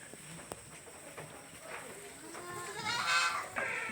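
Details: Farm goats gathered at their drinking place; after a few seconds of quiet rustling and distant voices, one quavering, harmonic-rich bleat rises near the end, followed by a short sharp noise.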